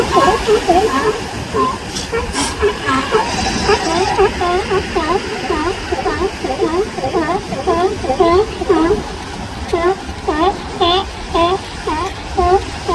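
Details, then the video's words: Tiny newborn sea lion pup with its mother in California, crying to get her attention; short, bent wailing cries repeat almost twice a second for long stretches over constant rushing background noise and a few sharp clicks. "Sea Lion Baby and Mom 6 - Crying Newborn Baby!"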